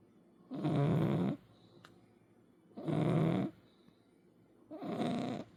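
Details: A 10 kg cat snores in three even, buzzy breaths spaced a little over two seconds apart, each a low vibrating drone with airy noise above, quiet between breaths.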